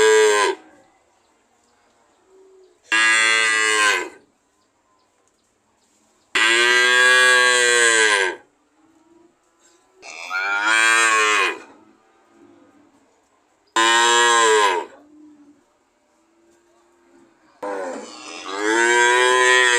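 Loud, harmonically rich moos from a cow come in bursts every few seconds, some bending upward then falling away. Quiet pauses separate each call.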